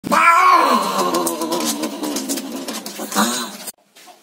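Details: Village cat mating with an Angora cat, screaming loudly; a long, harsh, wavering caterwaul rises then holds for over three seconds with a second swell near the end before cutting off abruptly.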